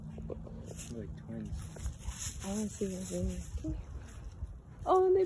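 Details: Malloy, a singing Scottish Terrier, yowls in short wavering tones, with some rising and falling like speech, ending in a louder upswept wail; faint background hiss.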